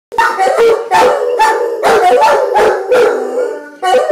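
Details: Two Giant Schnauzers howling together as if singing, wavering tonal howls with harmonics sliding around the middle register, broken into short bursts with brief gaps, voices overlapping.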